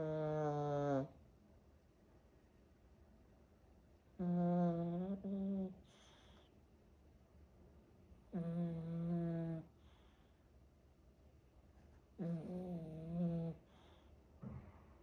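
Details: Pet dog snoring indoors: loud, tonal, humming snores lasting about a second each, some breaking into two parts, returning roughly every four seconds with near-silence between them.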